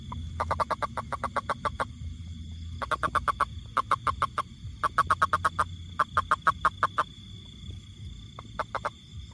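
A toad calls in bursts of rapid, evenly spaced pulses, each train lasting a second or so.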